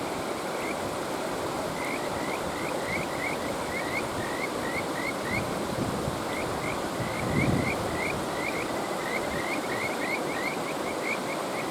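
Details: Rising, whistled notes of a Kajika frog repeat in long quick sequences with brief gaps, above the heavy, even sound of a flowing stream and a short louder rush of water midway.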